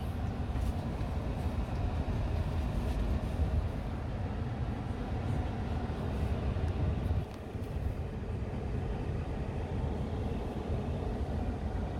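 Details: Heavy low rumble of vehicle or wind noise throughout, dipping briefly midway, with no animal sounds audible.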